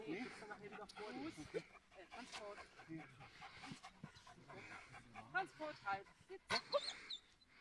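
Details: Giant Schnauzer Blackmoore Uno in protection work training on 5 January 2019, giving short scattered barks and whimpers while a man speaks in German nearby.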